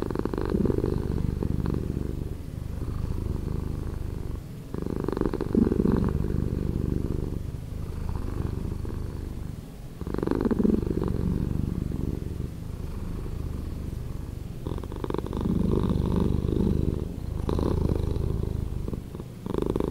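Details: A pet cat's purring, edited slower, rolls on as a low vibrating rumble in breath-long phrases of roughly two to five seconds, with slight pauses between them.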